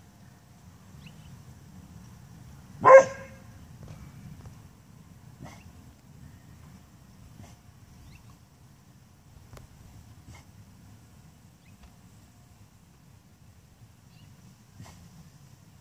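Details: Female pet dog barking at a brown UPS delivery truck, seemingly offended by its sound or colour; one loud, sharp bark early on, then long quiet stretches over a low indoor rumble with faint ticks.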